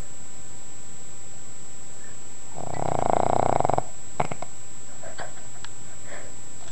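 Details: Sleeping pug snoring loudly, likened to a freight train. One rough, rattling snore lasts just over a second, followed by a few faint clicks over a steady background hum.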